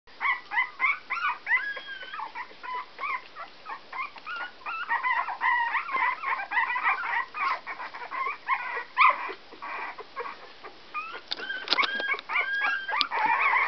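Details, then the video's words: Whoodle puppies, Whippet crossed with Miniature Poodle, 16 days old, a litter giving a dense stream of high, thin squeaks and whines, overlapping and rising and falling, with frequent short yelps throughout. "Whoodle Puppies 16 days old"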